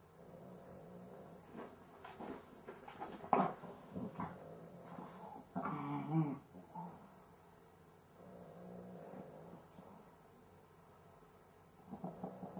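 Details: Sleeping Cavalier King Charles Spaniel with breathing difficulty indoors: irregular rasping, snorting breaths in uneven bursts, with louder gasping, rattling snorts near the middle and quieter, steadier wheezing toward the end.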